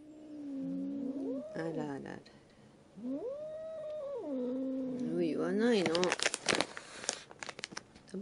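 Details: Domestic cat, a former stray taken in for rehoming, now very affectionate and clingy toward its female owner, indoors; long drawn-out meows rising and falling in pitch, three in a row, followed by clattering and tapping noises.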